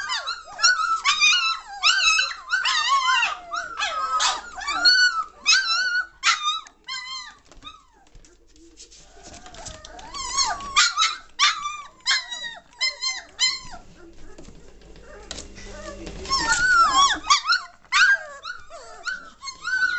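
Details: German Shorthaired Pointer puppies, three weeks and one day old, May 2014: a chorus of rapid high yelps and squeaks, busy at first, a quieter spell of softer whimpers midway, then renewed loud squealing.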